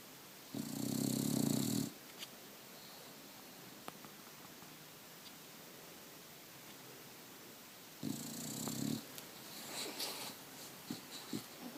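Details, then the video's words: Snoring from a one-year-old Bulldog sleeping in the morning, phone-recorded: two loud, deep, rattling snores about six seconds apart, each a second or so long, with a quiet room and faint small clicks and rustles between them. "Bulldog Tychus Snoring"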